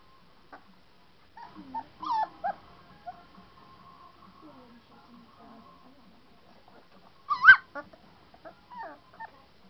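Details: Three-week-old St. Bernard puppies, Berkenye, Beethoven, Hektor and Kázmérka among them, recorded 7 March 2012, in a quiet room: scattered thin whining yelps, a sustained soft whine midway, and one sharp louder yelp near the end.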